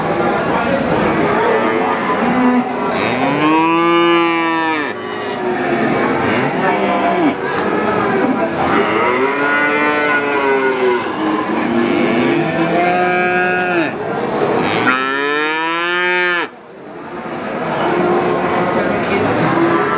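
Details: Young calf calls repeatedly, each moo an arched, rich harmonic bleat lasting one to two seconds, loud ones around four and fifteen seconds, with other calves mooing more softly beneath.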